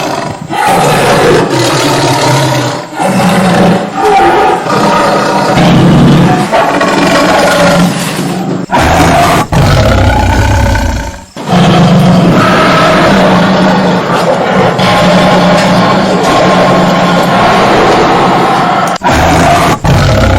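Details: Deep, harsh tiger roars rumbling on and off over twenty seconds, each long rasping bout separated by short abrupt pauses, with a low pulsing undertone throughout.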